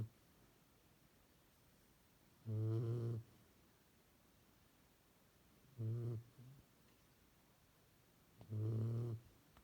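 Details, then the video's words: A tired dog snoring loudly indoors: three deep, buzzy snores, each about half a second to a second long, spaced roughly three seconds apart, with quiet breathing between them. "my dog snoring"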